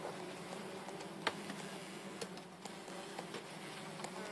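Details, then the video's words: Bees being removed, a low steady buzzing hum running throughout beneath scattered sharp clicks and taps. "removing bees"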